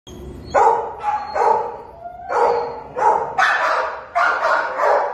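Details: Treeing Walker Coonhound, a dog available for adoption, giving loud, harmonic barks and bays in a quick series of about seven calls, some drawn out with a short falling tail.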